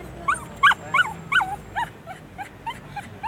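A Bichon Frise gives a run of short, high, whiny yips that slowly fade, about three each second.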